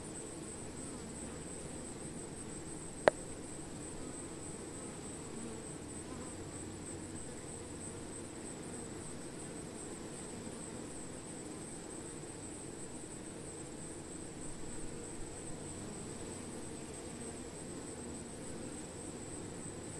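A steady, low droning hum of many honey bees buzzing together, with a thin high whine above.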